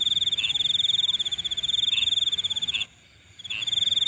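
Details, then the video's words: High, rapidly pulsed insect trill at night, continuous for nearly three seconds, then a short silence before it resumes, with a few slightly lower chirps mixed in. "Nighttime Insect Sounds"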